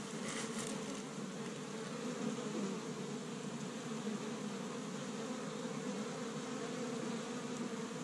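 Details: Honey bees at an established hive on the first warm spring day in Michigan, busy gathering pollen from tree buds; a steady, dense droning hum with layered low buzzing tones holding throughout, with brief louder fly-by buzzes near the start.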